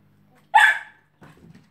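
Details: A 12-week-old Kelpie puppy playing in a pen with a cat gives one sharp, bright bark, followed by a softer rustle.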